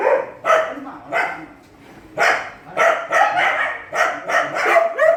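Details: Shelter dogs barking at night feeding time, housed in small cages; a steady run of short sharp barks roughly every half second, some yelping, with brief pauses and echoing room sound.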